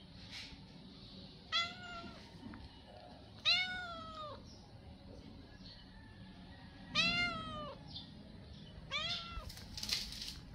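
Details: Four loud meows from hungry stray cats asking for food, each a rising-falling harmonic cry about half a second long, arriving at irregular intervals with quiet pauses and a faint low rumble beneath.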